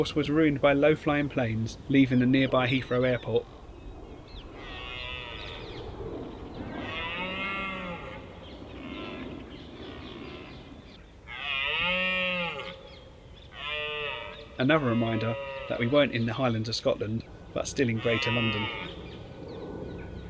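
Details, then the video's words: Red deer roaring during the rut at Richmond Park: several drawn-out, harmonic, groaning roars spread through the clip, some wavering in pitch, with stretches of human speech at the start and near the end. "Capturing the Red Deer Rut"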